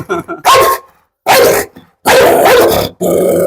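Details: Pit bull facing a visitor in a dog challenge: three heavy, harsh barks with short gaps between them, mixed with a little human speech.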